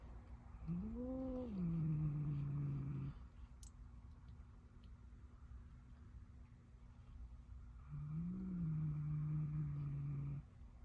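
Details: Angry cat giving two long, low moaning growls, each rising briefly then held flat for about two seconds, separated by several seconds of quiet with a steady background hum.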